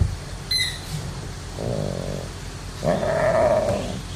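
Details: Tiger cub from an animal nursery making two drawn-out, nasal mewing calls about a second apart, the second louder and wavering, after a brief high squeak, over low rumbling background noise.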